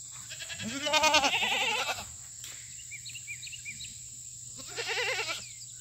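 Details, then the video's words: Loud fainting goats at a farm on a treat day with fresh cut grass: a long quavering bleat in the first two seconds and a second shorter one near the end, over a constant high whine and soft background chirps. "Loud Goats & 1 almost faints."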